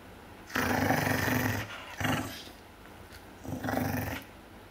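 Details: Larger dog growling while guarding a bone from a smaller dog that wants it: three rough, low, rumbling growls, the first about a second long, then a short one and a final longer one, with quiet pauses between.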